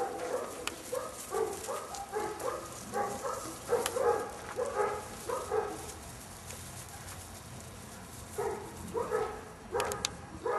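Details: Airedale Terrier puppies, seven weeks old, from an L-litter; short high tonal yips come in quick bursts of three to six, pause near the middle, then resume, over a soft hissing background.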